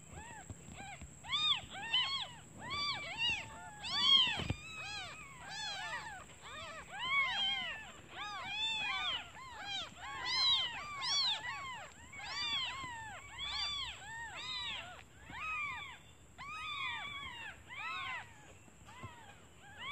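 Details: Several newborn kittens mewing for their mother because they are hungry while she is out looking for food; dense, overlapping arched cries repeat rapidly and continuously, rising and falling in loudness, with one sharp knock.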